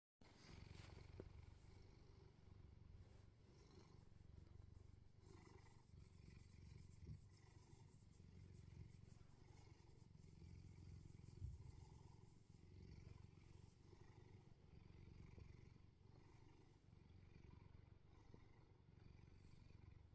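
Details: Bedford, a neutered male Bengal cat in England, purrs during morning cuddles: a steady low rumbling purr that runs for about twenty seconds, with faint rustling over it.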